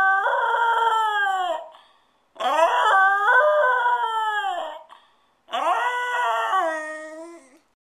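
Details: Alone at home and spoiled, the pet dog Stewart howls three times, each wail held roughly two seconds with a rich, slightly quavering tone and a falling tail, separated by brief silences.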